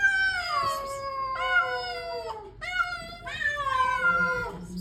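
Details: Street cats being fed give a run of loud, long meows, each starting high and sliding downward, four calls in close succession with brief gaps between them.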